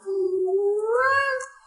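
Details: Yuanbao, a pet cat, gives a single clear meow when its owner asks it to answer loudly. The cry starts low and steady, then slides upward and fades at the end, with no other sounds.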